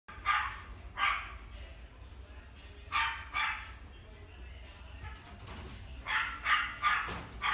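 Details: Pomeranian × Chihuahua cross-breed dog at a pet shop. It gives short, sharp, high barks, about ten in irregular clusters over several seconds, against a low background hum.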